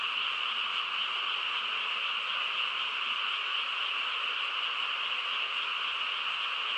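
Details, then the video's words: Frogs chorus through a quiet countryside night, many voices merging into a dense, unbroken trilling wall of sound that holds steady without pause. "고요한 시골 밤에 개구리 합창 소리"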